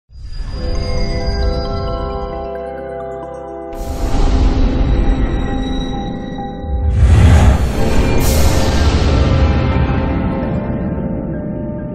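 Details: Eerie soundtrack music with chiming bell tones and swelling low chords throughout, and no animal voice.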